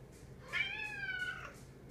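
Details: Pet cat indoors, demanding company while eating, gives a short arched meow that rises then falls over about one second, with faint background noise.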